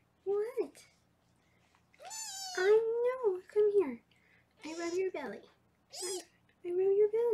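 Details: Foster kittens in Los Angeles, filmed on a live 24/7 kitten cam while being weighed: repeated wavering meows, some rising at the end, overlapping a woman's speech.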